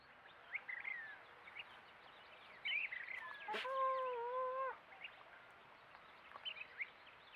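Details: Coyotes rough-housing in play: scattered short high yips and squeaks, then a drawn-out wavering whine lasting about a second, with a sharp click near its start, over a steady background hiss.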